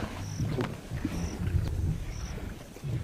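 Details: Wild lions of the Mwamba pride, the largest pride on the west bank of the Luangwa River in Zambia, growling in deep, low rumbling bursts, with faint high chirps repeating roughly every second in the background.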